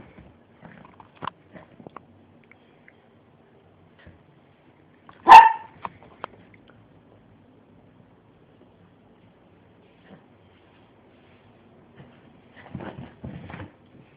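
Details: Miniature pinscher playing wildly on a bed indoors: one sharp, loud bark in the middle of a mostly quiet stretch, with a few soft rustles and faint yips before and after.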